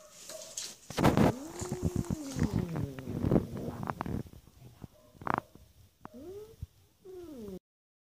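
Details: Female shelter cat Sina in Germany, thought to be still hungry, lets out a long wavering meow amid rustling and handling noises, then two shorter arching meows near the end.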